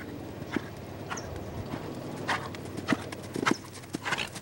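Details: Lavrador, a Lusitano stallion, moving with sharp, irregular clip-clop hoofbeats about every half second, each a brief broadband knock; quieter gaps and faint background rumble between steps.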